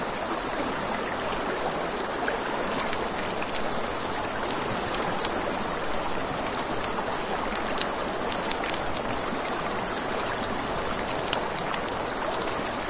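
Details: An unceasing high, vibrating cricket trill fills the night by a river, beneath it the broad hiss of moving water and irregular clicks and crackles of a fire.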